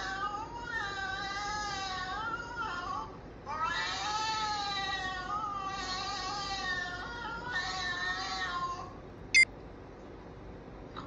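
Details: Played-back cat, previously angry, suddenly talking in cat language. Three long, loud, tonal meows with slowly bending pitch, each lasting two to three seconds with brief gaps, then a single sharp click near the end.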